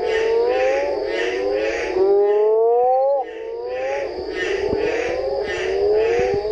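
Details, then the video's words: Mexican burrowing toads (Rhinophrynus dorsalis) call on 4 June at El Duende ravine, Indio Desnudo trail, Santa Rosa sector of the ACG, giving long, low, moaning calls that rise and swell, overlapping one another. "Rhinophrynus dorsali - Sapo Borracho cantando."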